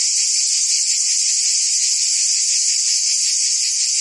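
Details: Provence cicadas in summer, France: steady shrill electric-sounding buzz, rapidly pulsating, filling the whole stretch at an even level.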